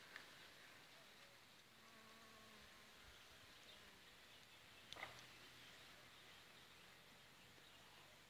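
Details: Honey bees in late June collecting honeydew from aphids on reed leaves, the whole reedbed humming: a soft steady drone under an airy hiss, one closer bee buzzing low for seconds, a sharp tap midway.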